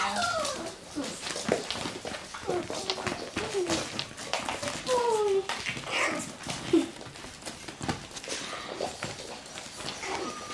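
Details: Russian Toy puppies playing indoors: short, high squeaky whimpers and yelps, several sliding downward in pitch, scattered between scuffling and rustling of play, with a person talking faintly in the room.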